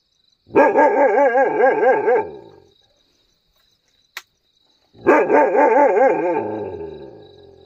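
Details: Mudhol Hound (Canis familiaris), howling bark.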